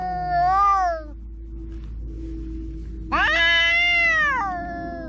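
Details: Quarrelling house cats: a rising-falling meow, then after a quiet gap a louder, longer, strained yowl with rich harmonics, over a steady low hum.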